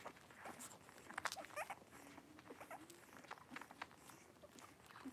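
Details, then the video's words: Blenheim Cavalier King Charles Spaniel puppies, three weeks old, a litter of five, at play in their pen indoors; brief thin squeals and yips in quick clusters amid faint clicks and shuffling. "3-Week-Old Cavalier Puppies Wrestle and Play Live"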